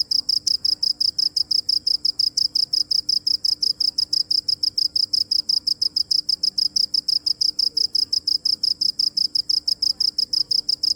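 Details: Steady high cricket chirps pulsing regularly at about five per second for the whole stretch, with only faint low background hiss.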